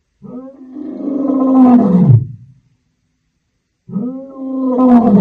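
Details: Wild lions on the African savannah: two long, loud, tonal roars with rich harmonics, each swelling for about two seconds before dropping away, separated by a short silence.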